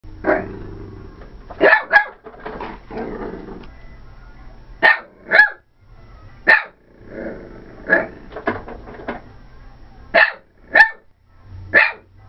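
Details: Female Corgi, upset about the vacuum, lets out sharp, loud barks, single or in quick pairs, about ten over twelve seconds, with a low droning hum in the gaps between them.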